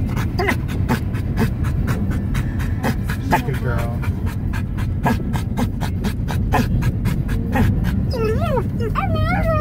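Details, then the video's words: Male pet dog in a moving car, panting rhythmically with quick repeated breaths, then breaking into wavering, rising-and-falling yodel-like cries near the end; low engine rumble underneath. "my dog yodeling in the car"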